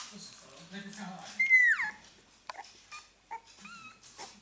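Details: Fourteen-day-old Staffordshire Bull Terrier puppies: one high, drawn-out squeal sliding downward, then a pause and short rising squeaks, with soft human speech murmuring low beneath.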